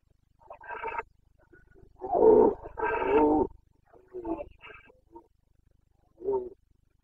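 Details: Breeding-season roaring (boncănit) of a Carpathian red deer stag, Bucovina, 29 September 2022: irregular series of growling bellows, two long, loud roars in the middle flanked by shorter, softer grunting calls, faint low rumble underneath.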